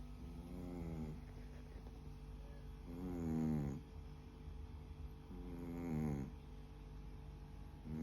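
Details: A sleeping Chihuahua snores in three drawn-out, throaty, harmonic breaths about three seconds apart, each swelling and then fading, over a steady low background hum.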